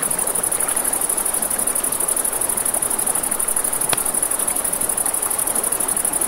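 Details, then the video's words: Crickets at night by a river: a steady, very high, rapidly pulsed trill runs unbroken throughout, over a broad rushing wash of flowing water and a sharp crack from a campfire midway. "Campfire by the River at Night Ambience | 1 Hour of Crackling Fire, Crickets, Ambient Nature Sounds"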